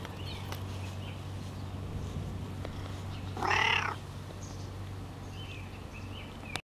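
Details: A cat gives a single short meow lasting under half a second, bright and harmonic, against a steady low hum; recorded July 8, 2010.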